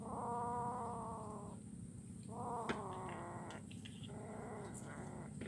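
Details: A kitten eating fish bones, recorded 17 July 2019 in Kuala Kapuas, Central Kalimantan, gives three long, tonal meows, each lasting about a second, with brief pauses and a low background hum.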